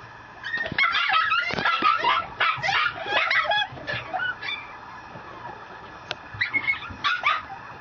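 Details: Female Mame Shiba puppy at a Japanese breeder yipping and whining in quick bursts, shrill squeaky notes crowding the first few seconds, then scattered short yelps after a quieter pause.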